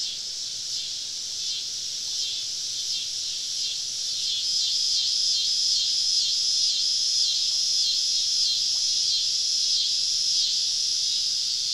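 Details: Cicadas surrounding a woodland campsite on a southern summer evening: a dense, steady high-pitched buzzing wall that swells slightly louder midway, with faint rhythmic pulsing running through it.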